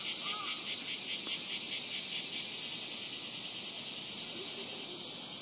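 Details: Robust cicada at Rokugo Shrine in Tokyo, recorded with a Sony PCM-M10: a high, rhythmically throbbing buzz that gradually smooths into a steadier hiss, with a brief faint lower sound near the start.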